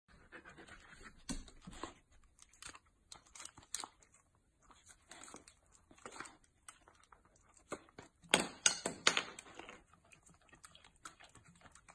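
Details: Middle, a medium-size fluffy female Samoyed, works indoors at a bottle cap with butter hidden under it, eager to open it with her tongue; irregular breathy panting bursts with soft licking and crinkling, loudest around eight to ten seconds.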